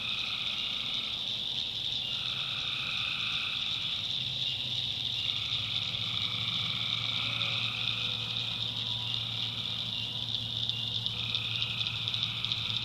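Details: Tree frogs at night in a North Carolina backwoods swamp. A high, even chorus is overlaid by mid-pitched notes that come and go in blocks of a few seconds, above a steady low hum.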